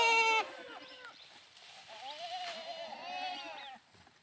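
A goat gives a loud, harmonic bleat, then softer wavering bleats follow.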